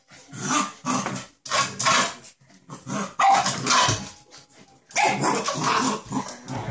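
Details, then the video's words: Samoyed puppy, angry at a bowl of water, giving a run of harsh, growly barks in uneven bursts, about five in under seven seconds, with a rough, noisy tone and short pauses between them. "Samoyed puppy mad on bowl with water"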